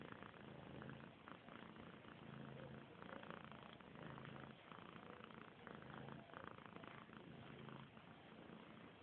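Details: Domestic cat kept as a workplace cat, purring indoors: a steady low rumbling purr pulsing in regular rhythmic waves of roughly one per second throughout, with no other clear sounds.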